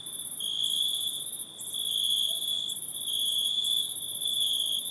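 A steady nighttime insect chorus of shrill, continuous trills and buzzing pulses.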